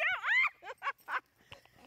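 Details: Tonka the Alaskan Malamute, out pulling a beach bike by a river, lets out one arched, moaning woo followed by three short clipped syllables, then faint clicks and quiet.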